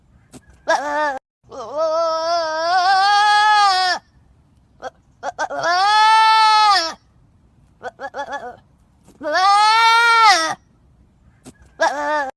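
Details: A trapped goat bleats over and over: long, loud, quavering cries of one to two seconds, coming about every three seconds, with brief stuttering sounds between them.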